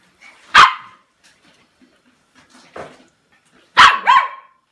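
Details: An 8-week-old female Samoyed puppy gives sharp, high-pitched yaps, one early and a quick double bark near the end.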